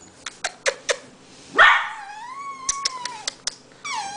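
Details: Abby, an 11-week-old Red Merle Australian Shepherd puppy indoors, confused by new strange noises; a series of short sharp clicks, then a rising drawn-out whine sustained for about two seconds, and another brief whine at the end.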